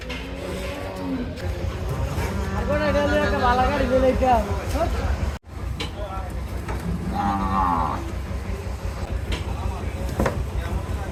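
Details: Big cattle being unloaded in Bangladesh. A long, wavering moo lasting several seconds is followed by a shorter second moo, with vehicle rumble and people talking in the background.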